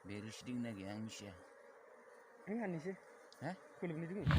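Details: Honey bees during honey harvesting, droning in short low buzzy bursts that waver in pitch, some lasting about a second, with gaps between, and a brief loud rustle at the end.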